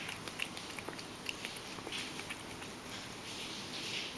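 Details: Ragdoll cat Mojio drinking goat milk, a favourite he can digest because it is lactose-free. Quick light tongue clicks cluster early, then thin out into a faint steady hiss.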